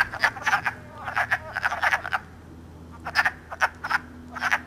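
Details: Early spring wood frogs calling as they mate in Elmer, New Jersey, March 3; hoarse clucking notes in groups of two or three, a quiet gap after two seconds, then more bursts.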